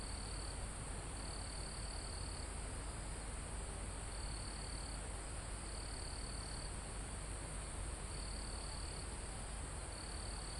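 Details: Crickets chirp in a mountain forest almost at the top, recorded live: high pulsed trills of roughly a second recur about every two seconds, over a steady high insect hum and light wind through foliage.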